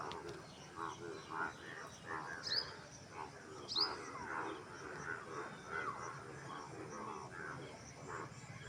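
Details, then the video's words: Frogs calling in a chorus: overlapping short, rough croaking pulses, irregular and unevenly spaced, with two brief, sharp high chirps partway through over a steady background hiss. "Frog Sound"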